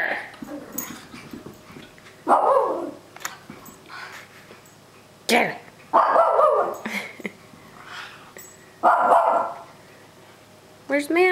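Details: Puppies at play, giving short, sharp yapping barks in loud bursts a few seconds apart, with people talking and calling to the dogs throughout.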